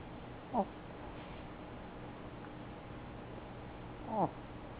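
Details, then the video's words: Chihuahua named Macchiato, a small male dog, sleeping indoors on a chair and snoring loudly for his size; two short squeaky, falling snorts about three and a half seconds apart over a steady low indoor hum. "Macchiato Snoring..LOL"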